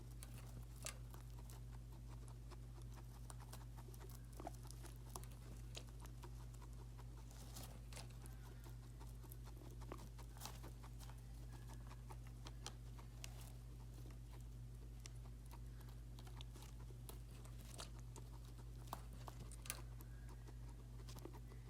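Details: Guinea pig drinking water: sharp, irregular tick-like clicks and soft patter, roughly fifty a minute, over a steady low electrical hum indoors.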